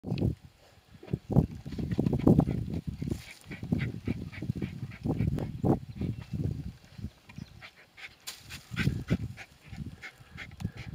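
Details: Two terriers, Senn and Bodie, working a groundhog (whistle pig), giving harsh, low barks in rapid overlapping bursts with short pauses between flurries.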